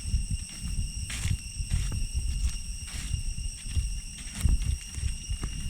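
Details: Along the path from Chhay Yong Waterfall in the Areng Area of Koh Kong Province, Cambodia, jungle cicadas keep up a continuous high-pitched ringing drone of even tones while heavy footsteps thud and scuff through the forest.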